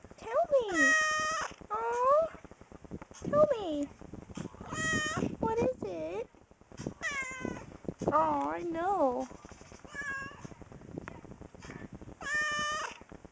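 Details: A pampered house cat indoors gives a long run of repeated meows, some level and bright, others curving down or wavering, with short pauses between. A person keeps chatting back to the cat the whole time.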